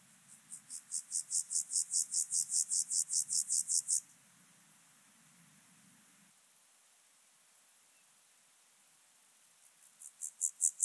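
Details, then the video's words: Alpine grasshopper singing on Obir, Austria, on 30 July 2022: a high, dry rasping series of about eighteen evenly spaced pulses rising in loudness, then a pause with faint low rumble, and a new series starting at the end. "Chorthippus alticola -- Höhengrashüpfer -- Alpine Grasshopper"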